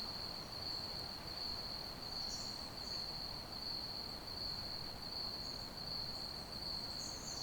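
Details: Ambient crickets chirping: one continuous piercing high trill at a fixed pitch, with faint brief higher chirps from other insects now and then and a low background hiss.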